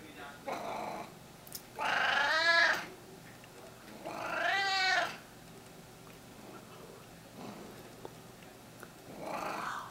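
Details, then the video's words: Domestic cat indoors, April 2016, meowing repeatedly: two long, loud, harmonic wailing meows about two seconds apart in time, each arching and fading, followed by a quieter short meow at the end; low room hum throughout. "Meowing & Purring"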